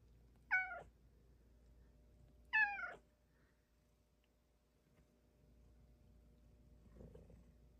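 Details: Female Bengal cat talking to her owner indoors: two sharp descending meows about two seconds apart, then quiet, a faint low murmur near the end over steady room hum.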